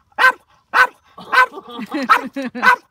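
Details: Corgi puppy greeting a dog friend with a run of short, bright yips repeated about every half second, each a sharp harmonic burst, followed by human laughter.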